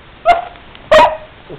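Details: Angry Basset Hound barking in two short, sharp barks about two-thirds of a second apart, the second louder, followed by a faint low grumble.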